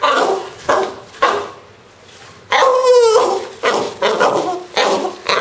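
A French Bulldog makes rough, gruff grumbles and a wavering, whiny yodel in a small room.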